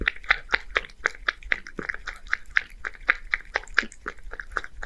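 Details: One-year-old male Scottish Fold cat living in Japan eats creamy seafood soup indoors: quick, wet lapping and smacking clicks, roughly four per second, steady throughout with slight variation in loudness.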